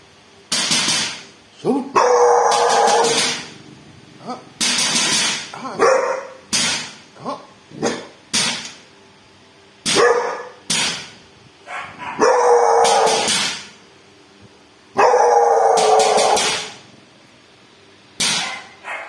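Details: Dog barking at a thief, loud harsh barks in bursts, some single and some run together in long volleys, separated by short pauses over about nineteen seconds.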